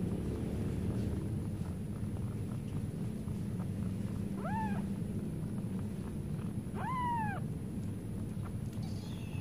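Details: Two loud, arched meows, each about half a second long and spaced about two seconds apart, come from one of four baby cats drinking milk. A constant low hum fills the background.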